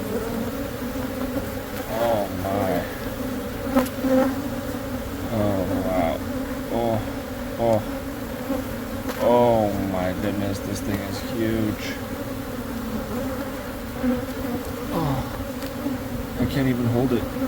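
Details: Continuous hum of honey bees during removal of a months-old hive from a Catholic church wall in Monrovia, with bees repeatedly zooming close by in curving, wavering passes and occasional knocks.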